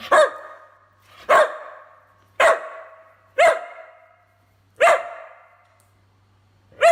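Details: Whippet barking in a steady series: six sharp, ringing barks roughly one second apart, each fading through a short echoing tail.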